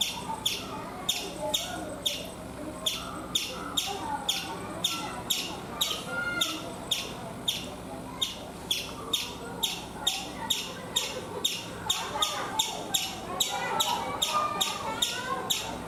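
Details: Chipmunk on a coconut tree in India chipping in a long, steady series, high sharp notes about two or three per second for over fifteen seconds, over a soft background hum.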